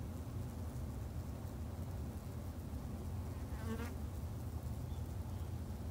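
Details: Garden-kept Japanese honey bees in Japan give a continuous deep buzzing drone of stacked low tones, steady throughout; a brief warbling, wavering sound rises above the hum a little past halfway.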